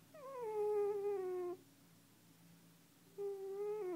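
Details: Cat snoring indoors, two long even tonal drones, each about one and a half seconds, separated by a quiet pause.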